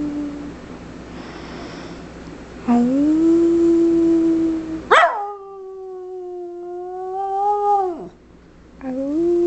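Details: A female Schipperke, urged by her owner to sing sweetly, howls in long, steady, tuneful notes that swell and then slide down at the end.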